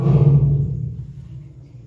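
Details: Sana the lion at Hamamatsu Zoo, 18 February 2023, exchanging calls with fellow lion Tom; a single low, throaty roar grunt that starts loud and fades into a rumbling tail.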